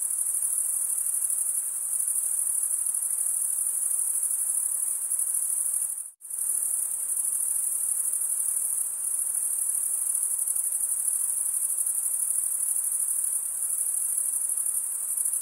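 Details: Night-time cricket chorus from a summer forest, a constant piercing high trill that drops out abruptly for a split second near the middle before resuming at full strength.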